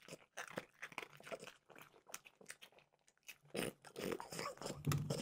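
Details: French bulldog named Mimosa crunching peanut butter flavored Trader Joe's dog treats indoors; irregular crisp bites and chewing, louder and denser toward the end.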